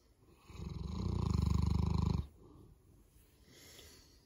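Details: Sleeping Boerboel Molly lets out one rattling, low snore of about two seconds during a Monday morning sleep-in, fading afterward into soft, quiet breathing.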